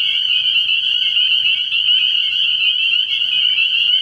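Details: Spring peepers massed at a frog pond on an early-spring night, their high whistled peeps overlapping into a continuous ringing chorus. Faint low pulses can be heard in the background.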